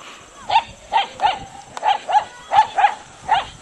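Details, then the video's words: Dog, still a pup, barking at a horse in Natonin, Mountain Province, early 2008, recorded on old equipment: a quick series of eight short sharp yelping barks, about three per second in uneven bursts, over a steady faint hum. "Kioski barks at Lloyd's horse."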